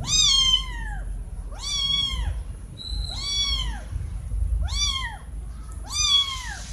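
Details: Kittens crying loudly for their mother, a pair of young cats wanting food or attention; five strong arched meows roughly every 1.5 seconds, bright and high with rich overtones, low hum beneath.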